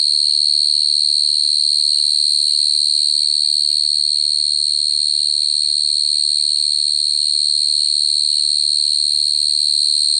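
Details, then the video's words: Continuous high-pitched cricket song, an even shrill trill that never pauses or changes pitch, over a soft low background hum. "Cricket sound effect(cricket sound)"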